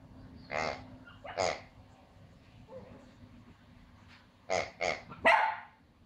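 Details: A female Pomsky puppy, afraid of a new squeaky piggy toy, gives sharp, high yappy barks at it, two early and a quick run of three near the end.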